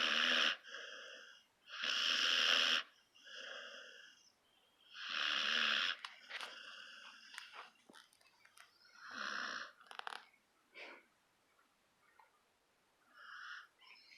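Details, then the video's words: Wheezy, rasping snores from Gus the sleeping puppy, several close together at first, then softer irregular snuffles and short whistly breaths. "snoring Gus puppy"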